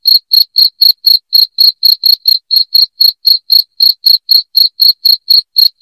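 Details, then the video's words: Loud cricket chirping, meant for driving rats out of the house: short, sharp, high chirps repeated about four times a second in a steady, unbroken series of roughly two dozen, with no other sounds. "SUARA JANGKRIK NYARING PENGUSIR TIKUS"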